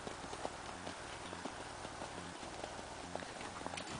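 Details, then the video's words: Natural rocking chair canter of a Tennessee Walking Horse, its hooves striking the ground in a brisk, even rhythm of clustered muffled thumps repeating roughly every half second throughout. "Rocking chair canter on a Tennessee Walking Horse! All natural!"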